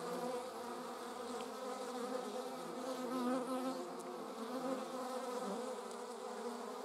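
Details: German wasps hauling prey produce an unbroken, wavering drone of overlapping buzzing tones, loudness gently rising mid-way, with a couple of faint high ticks.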